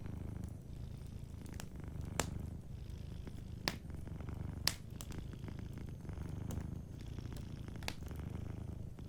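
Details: Gentle continuous purr of a cat asleep near a crackling fireplace; the deep pulsing rumble swells and fades in slow breath cycles while sharp wood pops punctuate it every second or two.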